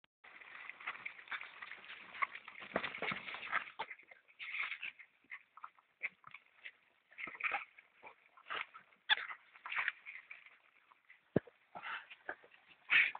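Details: European polecat and ferret kits feeding: a busy run of short squeaky, chattering sounds and soft clicks, dense at first and then in scattered bursts, with a sharp tap near the end.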